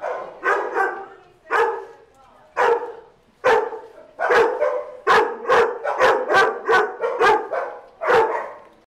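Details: Ash, a Dachshund mix, and other dogs playing at Doggie Oasis Day Care; a run of sharp, high yipping barks, about ten in nine seconds, coming quicker toward the end, with faint speech behind.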